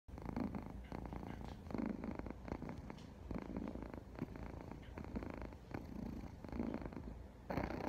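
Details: Domestic cat purring close up indoors, a steady low rumbling throb in roughly one-second phases that swell and fade as the cat breathes in and out, with a short quieter gap partway through.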